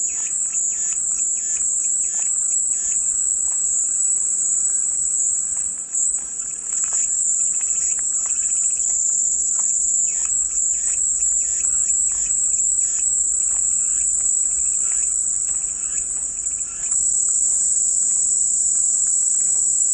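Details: Cicadas produce a constant, intense high whine, pulsing gently in strength over twenty seconds. Quiet repeated chirps and ticks run throughout underneath.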